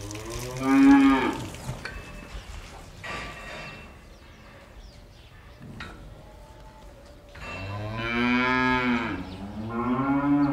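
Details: A cow in a barn gives a short, rich moo, then a longer, drawn-out lowing moo after a quiet pause.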